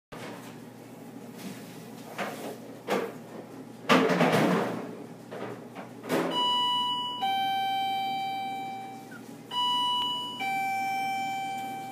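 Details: Indoor rustling and thumps followed by a ringing doorbell chime of sustained tones, with no animal voice.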